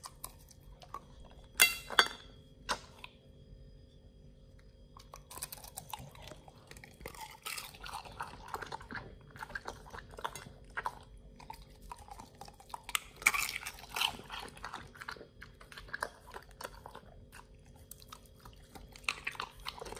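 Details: Pit Bull nomyen eating a raw meal of beef shank steak, green tripe, chicken feet and quail egg: continuous wet chewing and tearing, with loud crunches near the start and midway.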